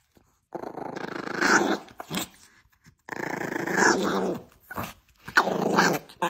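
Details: A female dog growls as she is sent back to bed, with a warning that she may bite: two long, rasping, rumbling growls of about a second and a half each, then shorter growl bursts separated by brief quiet gaps.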